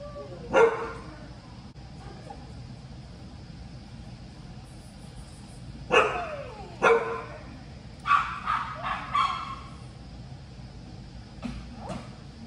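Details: Sparse, sharp barks from Bella the Chihuahua at her first agility session in this ring, uneasy with people around; single yaps and a quick cluster of three or four, separated by quiet indoor stretches.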